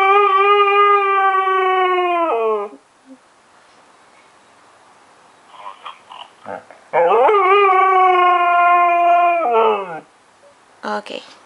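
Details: A female husky gives two long, steady howls sagging downward at the end, with a person talking between them, howling sadly while hearing her deployed owner on the phone because she misses him. Finding: husky.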